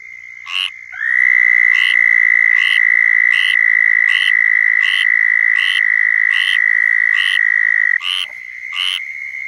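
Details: A southern toad in Florida trills its mating call, a sustained high nasal buzz lasting about seven seconds, while short bursts from other calling toads repeat roughly every second across it.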